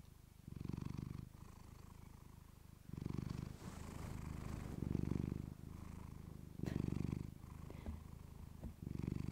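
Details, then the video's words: Domestic cat named Clementine purring close to a fluffy microphone, a low steady rumble that swells louder in breathing cycles every couple of seconds, with soft rustling between breaths. "Cat purring you to sleep with fluffy mic"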